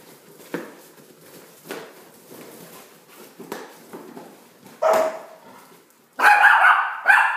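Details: Opie, a Shih Tzu adopted from Dog Rescue Newcastle in Australia, gives short sharp barks: faint tapping noises first, then one bark near the middle and two louder, harsher barks close together at the end.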